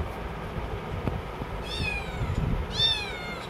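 Two thin, high-pitched kitten meows, each rising then falling, over a low rumbling background.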